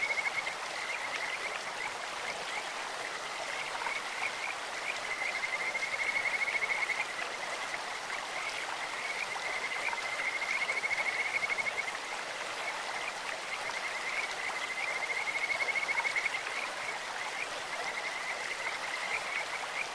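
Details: Kajika frogs calling in a clear mountain stream in Japan, a sweet, bird-like voice: steady high trilled notes near one pitch, rising in loudness in waves, over constant rushing water.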